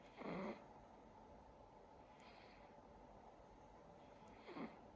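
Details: Sacha, a silver Siberian Forest kitten, asleep and snoring: a stronger breathy snort at the start, a faint one midway and another near the end, over steady low room noise.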